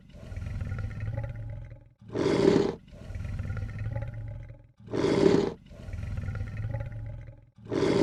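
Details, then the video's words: Repeated lion hissing: harsh, forceful bursts under a second long return about every two and a half seconds, alternating with low, throaty rumbling growls; a clean recording with no background noise. "Lion hiss sound effect"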